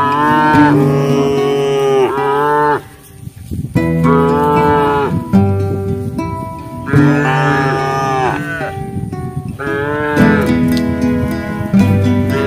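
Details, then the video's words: Herd of large cattle feeding in a field, mooing to call companions back to the pen; long, loud, rich moos of about two seconds each, one after another, over background guitar music. "Segerombolan sapi raksasa makan di ladang memanggil kawan kembali ke kandang, petir-Suara sapi joget"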